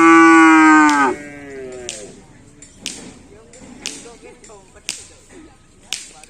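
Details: A racing bull training for karapan sapi on the Asemanis field lets out one loud, one-second moo that bends downward, followed by sharp whip-like cracks roughly once a second.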